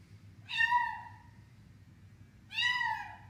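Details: Domestic cat vocalising while eating, giving two short, bright meow-like calls about two seconds apart, each with a slightly falling tone, over a low steady indoor hum.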